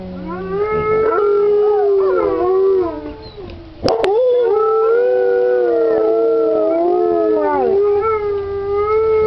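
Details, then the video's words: Alaskan Malamutes from Indian Creek Malamutes in a chorus howl: sustained, mournful tones holding steady and then bending, several dogs layered together, with a short dip and a sharp click near the middle. "malamutes howling"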